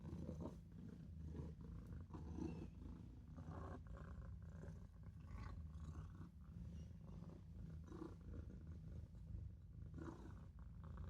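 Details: Maine Coon kitten purring while napping in a sink indoors; steady low rumbling purr running throughout, with soft breathy pulses rising and falling in rhythm with each breath.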